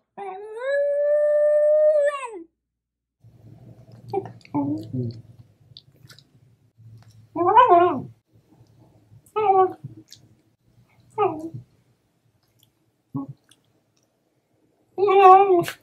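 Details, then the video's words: Shiba Inu dog vocalising indoors: one long, steady howling tone for about two seconds, then short, wavering whines and yowls at irregular intervals, with low room hum between them. "Shiba Sounds! | The Sounds of the Shiba Inu"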